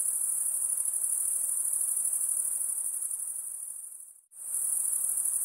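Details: A continuous, very high insect whine holds steady, fades briefly to silence, then returns at full strength.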